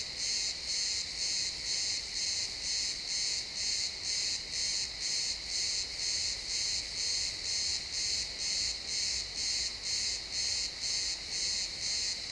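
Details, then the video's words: ['Pine forest crickets at sunset, real-time XY stereo recording: a continuous train of sharp, high-pitched chirps, about two per second and very even, over a quiet background.'] "Cricket sounds in the pine forest"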